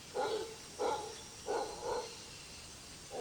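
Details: At sunrise in a drying Brazilian rainforest valley, a solitary male howler monkey gives rough barking bursts that echo through the trees; four close, gruff pulses, the last two nearly joined, then a fifth starting.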